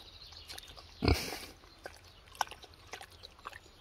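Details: Female kunekune pig cooling her rump in muddy water on a hot day, giving one short low grunt about a second in. Soft scattered splashy and snuffling sounds follow.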